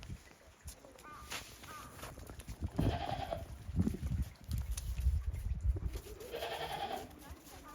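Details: Goats on a handmade Japanese goat farm, 28 December 2023, stepping warily across fresh snow after a heavy snowfall; two quavering bleats midway and near the end over low rumbling and rustling.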